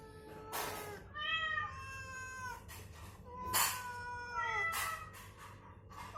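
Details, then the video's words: Call-and-answer meowing, the cat being healed is stirred by playback of its own kind's voice; several gliding meows dropping in pitch, broken by short broadband thumps or rustles, with a constant low hum beneath. "SUARA KUCING saling sahutan"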